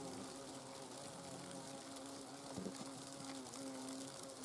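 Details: Hornets inside their nest give a low, steady droning hum with brief louder wingbeat buzzes rising over a constant hissing background.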